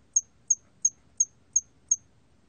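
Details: Six crisp, high-pitched chirps from a hairy cricket, evenly spaced roughly a third of a second apart, in a 2020 recording from the National Institute of Biological Resources in Korea, with a soft low hum beneath.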